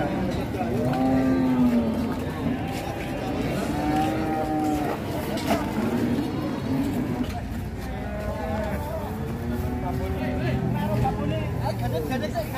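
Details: Cattle rampaging at a market, with long harmonic moos sliding through low pitches, one after another over crowd chatter, vehicle rumble and background music.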